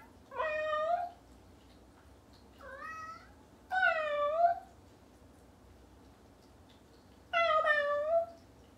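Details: A Bengal cat "talks" to a person with a series of drawn-out, chattering meows in falling and wavering tones.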